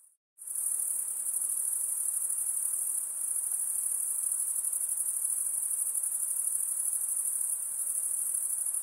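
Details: Night insects calling in a dense, continuous high-pitched trill that starts after a brief silence and holds steady throughout, with a faint softer hiss of lower background sound beneath.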